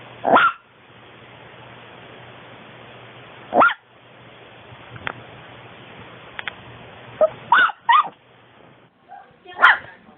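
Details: Female long coat Chihuahua born in 2010, filmed at home, producing scattered short high yips and barks spread over ten seconds, with quiet gaps and a faint hum between calls.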